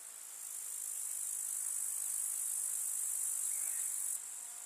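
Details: Grasshoppers chirping in a summer meadow of wildflowers in the countryside: a dense, unbroken high-pitched shimmering chorus that swells after the first half-second, holds steady, then drops suddenly in loudness near the end.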